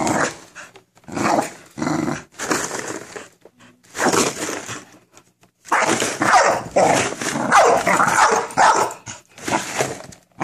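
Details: Frightened of a cereal box, the American Bully Minerva lets out short separate barks at first, then a longer run of harsh barking and growling, roughly one to two bursts per second.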